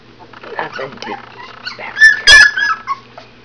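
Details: AKC standard poodle puppies, 22 days old, indoors, giving a run of soft squeaky whimpers that build into sharp, high-pitched squeals and yelps near the end, with a little background murmuring.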